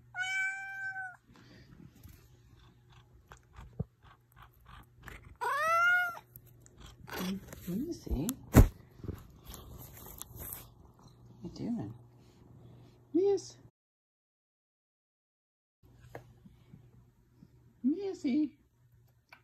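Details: Missy, a female Ragdoll cat from Arizona Cuddly Ragdoll Cats, indoors with a sweet voice; a clear falling meow at the start and a longer arched meow near six seconds, with a woman calling her name and soft chirps between.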